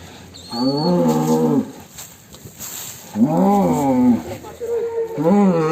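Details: Raging fat bull leaving its pen: two long, deep, harmonic moos that rise and then fall, each about a second long, with a third moo starting at the end, over steady background hiss.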